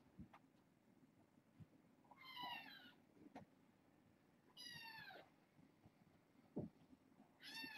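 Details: Kittens from a six-kitten litter born August 29th, settling indoors at bedtime, give three short bright meows spaced a couple of seconds apart, with soft thumps and a faint background hum.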